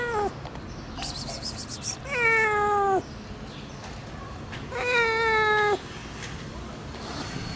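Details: Rescued abandoned kitten, found after two days in -11°C snow, meows twice, each cry long, tonal and sagging downward, spaced about three seconds apart, with a brief sharp sound between them.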